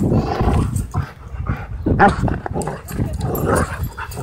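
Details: Husky Shepherd mix playing wild at a dog park, outdoors; low, rough growling rumbles come in short uneven bursts with scuffling, and wind noise runs underneath.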